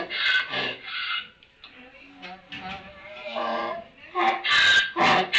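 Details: Donkey in a barn, recorded in the afternoon of 11 May 2018, with loud, rasping alternating bursts at the start and end and lower, groaning tones between.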